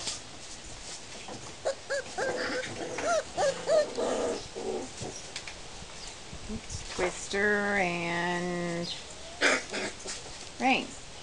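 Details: Peach puppies out in a play yard for the first time, giving short, high, upward-curving whimpers in scattered bursts, then one longer steady wavering whine, with voices talking and rustling nearby.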